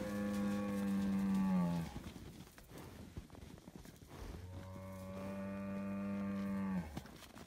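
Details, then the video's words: Scottish Highland cattle bull on a farm in Finland, being given bread: two long, deep, droning moos, the first nearly two seconds and dropping at its end, then a short quiet gap of rustling before a steady moo of about two and a half seconds. "Noisy bull says moo moooo mooooooo"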